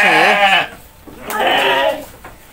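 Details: Goat during feeding time in Indonesia, giving two wavering, quavering bleats, the first lower and shakier, the second brighter, with a short pause between.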